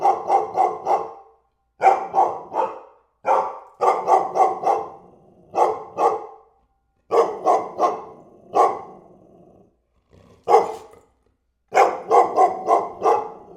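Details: A dog barking in quick bursts of two to four sharp, harmonic barks, separated by brief pauses, repeating steadily across the stretch with no other sounds present.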